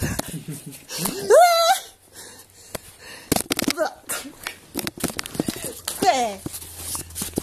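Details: Seven-month-old Dobermann Leeloo, playful and silly in a small room, lets out a clear rising whine that levels into a steady high tone, then a fainter falling whimper later, among human speech and scattered knocks.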